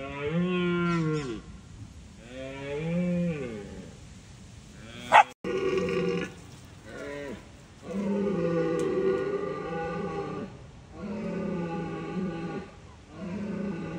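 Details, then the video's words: Roars of wild red deer stags in Bushy Park in rutting season, warning off rivals; a series of long, deep, harmonic bellows, some broken into short grunting pulses, separated by brief pauses. "Roaring Wild Red Stags Compilation"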